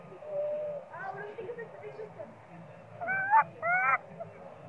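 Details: Sweet Pea, a baby monkey screaming loudly for milk because it is very hungry, utters two strong harmonic wailing cries late in the clip after softer whining notes, against a low background hum.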